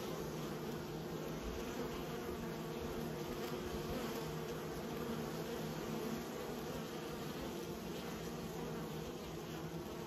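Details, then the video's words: Steady buzzing of bees under keeping, a full low drone with a thin grainy edge, dipping slightly in loudness near the end. "Raising bees"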